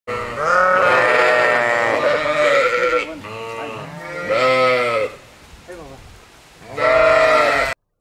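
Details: Jezersko-Solčava sheep, a Slovenian native breed adapted to grazing steep mountain pastures, giving loud drawn-out wavering bleats, each about one to two seconds long, three clear calls separated by short quieter gaps.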